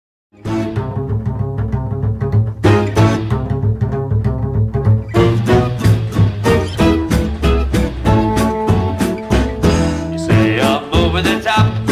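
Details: Plucked double bass and cello music with steady swing rhythm, no animal sounds heard.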